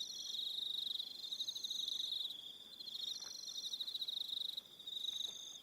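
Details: Crickets at evening on Aroha Island, New Zealand, giving a constant high-pitched pulsing trill, joined by separate higher buzzy phrases roughly every second, loudness rising and falling gently.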